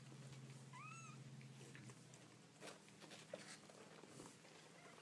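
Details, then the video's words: Baby kittens making cute noises: one thin, arching mew that rises and falls, followed by soft scattered clicks and rustles as a low hum fades out. "Baby Kittens Making Cute Noises"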